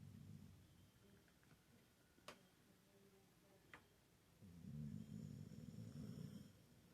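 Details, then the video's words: Pit Bull snoring while asleep and dreaming indoors: low, rough rhythmic breaths, swelling louder in the last seconds, with a couple of sharp clicks earlier. "mi pitbull soñando y roncando jejeje"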